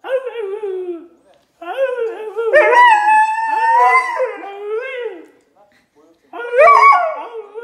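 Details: A female Siberian husky gives drawn-out, wavering, howl-like vocalizations that rise and fall like talking, as if complaining or wanting to chat.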